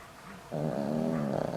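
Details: Elderly sleeping dog Boram-i, kept at home over 20 years and taking heart medicine, starts a loud snore: a sudden rough, vibrating buzz rising out of soft breathing and continuing to the end.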